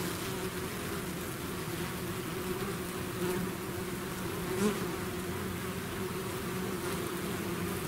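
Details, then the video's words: Honeybee swarm pouring out of its hive, a dense steady drone humming low with overlapping buzz layers, constant and unbroken, occasional louder individual bees passing close to the microphone. "bees therapy swarm natural buzzing sound"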